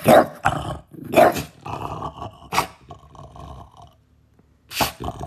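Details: French Bulldog giving loud, rough growling barks in short bursts, two strong ones near the start and more after a pause, with a steadier grumbling murmur between them and a quiet gap before a final burst.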